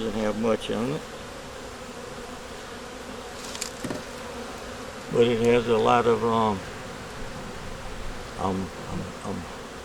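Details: Honey bees of a nuc colony working to make it through winter, with a yellow queen, eggs and brood in the top, hum steadily and low throughout a hive inspection, broken by three short bursts of human talk.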